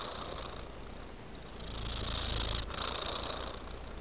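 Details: Male domestic cat purring while enjoying his toy frame, a continuous low rumbling purr with a soft hiss, swelling slightly louder midway through the short stretch, with no other sounds.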